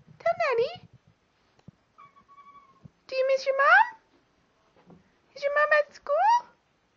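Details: Indoors, Milo the pet cat answers his owners with three bursts of bending, wavering meows that rise and fall in pitch, separated by pauses, with a faint steady tone in between.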